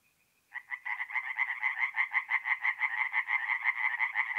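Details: Tree frogs singing at night at a forest pond in mid-April in north-eastern Italy: after half a second of near silence, rapid rasping croaks start up and repeat about three times a second, a dense pulsing chorus.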